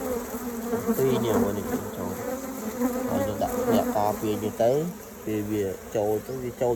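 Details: Bees collecting pollen at morning time, carrying mixed-colour loads from many kinds of flowers. Deep humming drones swell and fade in uneven bursts, with pitch bending as the bees pass close by.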